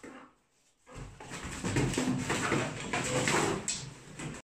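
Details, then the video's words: English Bull Terrier wrestling in play, giving gruff, rasping growls and snorts that start after a short quiet moment and run on continuously, loud and harsh, with scuffling noises throughout. "English bull Terrier - wrestling"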